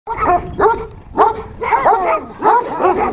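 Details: Kangal dogs, the Turkish shepherd breed, fighting each other: harsh, rough barks and snarling yelps in rapid bursts about every half second, loud and close.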